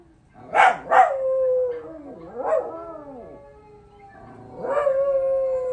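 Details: Young dogs howling in response to a howl challenge, with two sharp yelping onsets followed by long, wavering, tonal howls that slide downward, then a second rising and falling howl that holds steady near the end.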